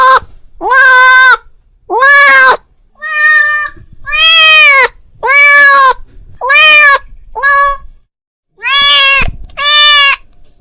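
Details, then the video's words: Domestic cat calling his friend: a series of loud, drawn-out harmonic meows, each about half a second to a second long, repeated roughly once a second with short pauses, some rising then falling in pitch. "The sound of a cat calling his friend"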